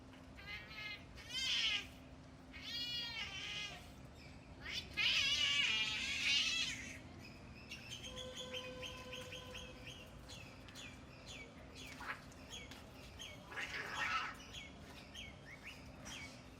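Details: Cats in a fight: loud wavering caterwauls swell and fade in long bursts, then rough screeches and shorter cries, with a steady tonal hum and small chirping calls between the outbursts.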